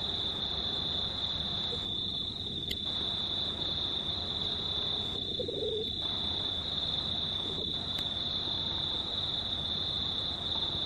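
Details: Crickets calling at night near full moon on 19 March 2019, a continuous piercing high trill never pausing, with a few brief dips of background noise and a short low murmur midway.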